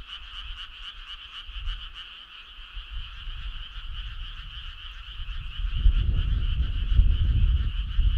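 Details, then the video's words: Frogs calling together on a summer night, a dense chorus of rapid pulsed croaks forming a steady shimmering drone, with a low rumbling background that swells louder after about six seconds. "Cool frog sound"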